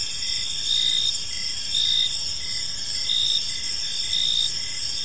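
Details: Crickets chirping in a peaceful park as evening falls: a steady high ringing of several insects overlaid with louder pulsed chirp bursts about once a second, calm background with no other clear sounds.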